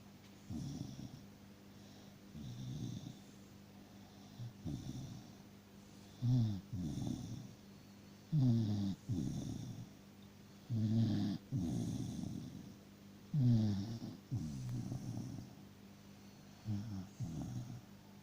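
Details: Sleeping dachshund named Freya snoring deeply, low rumbling snores about every two to three seconds, some breaths louder with rattling, fluttering texture, quiet pauses between them in a calm indoor setting.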